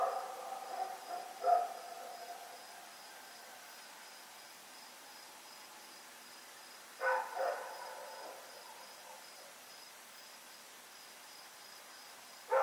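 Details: Night recording from Pyrga, 7 October 2018, of Rex the dog running about: a lone bark, then a doubled bark after a long pause, and a final bark, each standing out against continuous cricket song.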